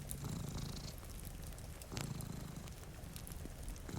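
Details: Low, throaty purring from a cat asleep with a companion before a rain-streaked window, two breathing swells of rumble within four seconds, accompanied by scattered fireplace crackles and faint rain.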